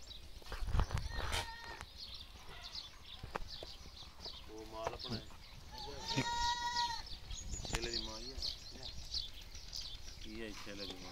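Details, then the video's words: Gulabi cross goats on a farm bleating: one long, wavering, quavering bleat mid-clip, with several shorter, lower bleats before and after it. People talk in the background. "Gulabi Cross Goats Collection"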